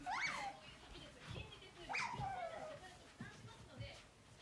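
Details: Pet otter following the owner's mother around, giving two sharp, high squeaky chirps that slide steeply downward, about two seconds apart, with soft shuffling and handling noises in between.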